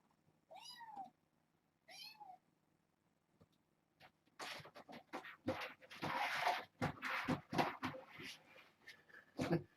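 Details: Kittens from a rescued stray's litter born June 21, playing indoors with a microfiber towel one evening: two short, bright meows about a second and a half apart, then loud rustling, thumps and handling noises with a person talking.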